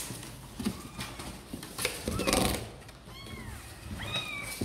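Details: Sor and Kapov's kittens, keen to come out and play, amid rustling and bumping noises; a couple of clear arched mews ring out near the end, one long and descending.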